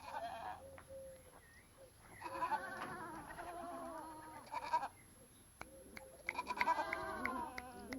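Several goats bleat in quavering, nasal calls that rise and fall, coming in bursts with brief pauses between. The voices overlap, giving a busy, layered chorus typical of a herd.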